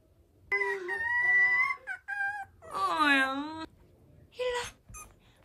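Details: Miniature Schnauzer puppy, a tiny new family member the size of a palm, gives long high whining cries with rich harmonic stacks, one rising-and-falling wail in the middle, then shorter squeaky whimpers, in a quiet room.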